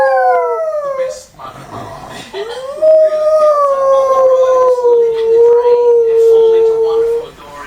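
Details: Domestic dog howls indoors: a short falling wail, a pause with faint voices, then a long sustained howl wavering gently and sinking slowly in pitch for nearly five seconds.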